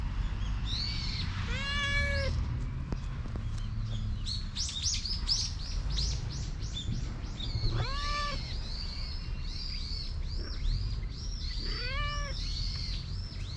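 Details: Stray cat dashing up to the person it knows and seeking affection, filmed on a GoPro HERO8; three clear falling meows with rich harmonics spaced several seconds apart, over constant bright chirping of small birds and low rumbling background.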